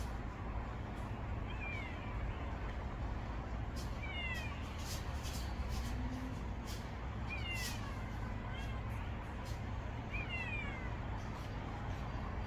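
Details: Geumdong-i, a stray kitten that lost its mother, living on its own around a secret hideout; about five thin, high, falling meows scattered across the stretch, some doubled, over a constant low rumble of road traffic.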